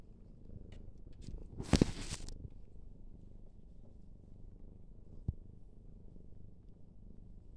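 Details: A Siamese cat in Denmark purrs in a low, steady rumble, broken once by a brief rustling bump.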